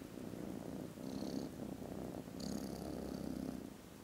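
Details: Contented foster kittens snoozing after lunch produce a very loud purr on 18 December, a rhythmic low rumble swelling with each breath, overlaid by two short high faint squeaky tones.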